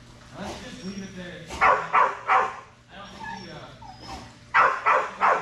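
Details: Strider, a Belgian Malinois, at Fetch-It (Air Retrieve) dock diving practice, 10.25.22: excited barks fired in quick bursts of two or three, with quieter whines and human voices between them.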